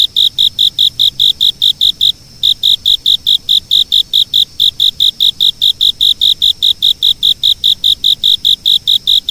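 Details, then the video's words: Steady, high-pitched insect chirping, even pulses at roughly two and a half per second with one brief break, against quiet background. "昆虫②‖视频音效‖Video Sound Effect‖Insect②"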